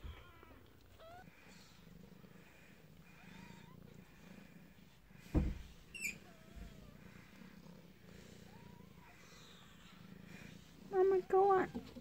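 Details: Newborn kittens in a den, with a steady low purr throughout and short high squeaky mews scattered between, a sharp knock midway and a louder cluster of mews at the end.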